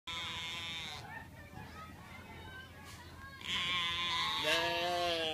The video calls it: Oveja con un balido peculiar